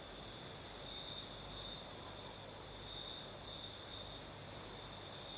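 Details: Night chorus of crickets in the south of Crimea, a continuous high-pitched ringing trill that barely changes, with a gentle breeze rustling beneath it.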